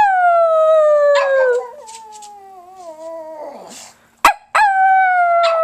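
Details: Loud pug howl, a steady tone that slowly slides lower and fades into a rough grumble, then a couple of sharp clicks and a fresh strong howl beginning.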